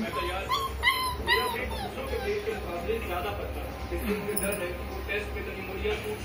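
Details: German Shepherd puppy at play, jumping down from a bed, lets out a few sharp rising whines early on, followed by softer, fainter whimpers against continuous music.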